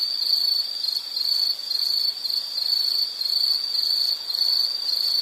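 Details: Brief stretch of shrill insect song from a calming nature soundscape, a steady high trill with gentle swells in loudness.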